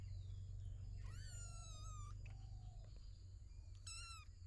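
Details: Kittens from a storeroom cat family of three kittens and a mother cat: a drawn-out high meow lasting about a second, then a brief sharp mew near the end, over steady low hum.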